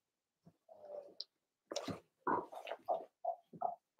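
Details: Six Blenheim Cavalier King Charles Spaniel puppies, two girls and four boys, in an indoor pen during potty training; rough, low growly grunts and short squeaky yelps follow one another rapidly, as in play.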